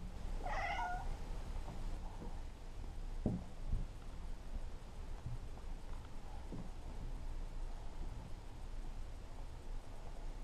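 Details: Indoor play-fight between a Maine Coon kitten and a patient adult female cat; one clear, rich, harmonic meow early on, then quiet with faint thumps and low background hum.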